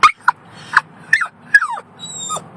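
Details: Female Yorkshire Terrier, one year old, screaming in a car: a run of short, piercing yelps, some sliding downward into drawn-out whines, roughly six outbursts with brief gaps, and a faint high steady tone behind.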